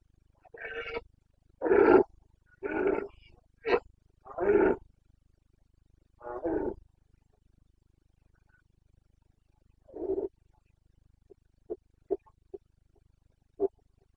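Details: Carpathian red deer stag in Bucovina, Romania, during the September 2022 rut (boncănit): a fast run of five or six loud, rough roaring bellows, then one more roar, then several short, soft grunts toward the end.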